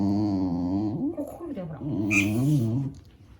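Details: Indoor pet dog keeps complaining about the squeaking of a cat mouse-game app. A continuous wavering grumble that slides up and down, becoming a rough growl midway, with one short high squeak near the end.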